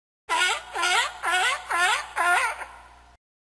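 A sea lion gives a run of five hoarse, honking barks in quick succession.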